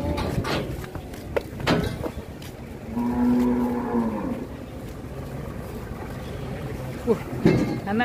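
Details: Giant bull raging at Grabag market in Indonesia: one steady, drawn-out low moo lasting about a second and a half, surrounded by clatter, knocks and murmuring voices of the market crowd.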